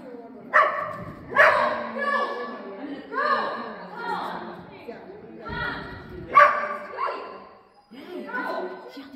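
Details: Siberian Husky at play, giving a run of whining, talkative howls that rise and fall, each lasting about a second, with several sharp yips and short pauses between bursts.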